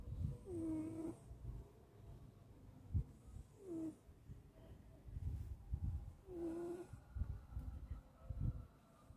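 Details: Cat deep asleep and snoring; three nasal, whistly breaths that slide downward in pitch, a couple of seconds apart, with low thumping rumbles and shuffling noises between them.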